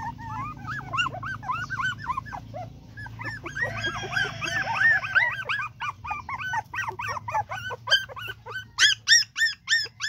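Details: Dog vocalising while mating, a long run of quick high whining yelps that swell and fade in bursts, growing louder and more spaced toward the end over a low background hum.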